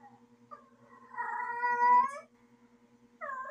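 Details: Female cat in heat letting out a long, loud, rising yowl with strong harmonics lasting about a second, preceded by quieter murmurs and followed by another yowl beginning, over a faint steady hum.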